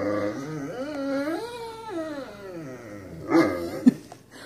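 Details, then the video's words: Indoor Great Dane whining for her owner to come play outside; a long, modulated whimper rising and falling in pitch like a talking moan, ending with a sharp yip and a short snort. "Great dane wants Mama to play outside with her"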